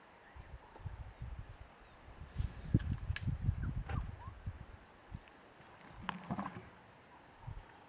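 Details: An elephant snores peacefully in deep, rough rumbles with slow, uneven breaths while napping under a tree, watched by rangers from a distance.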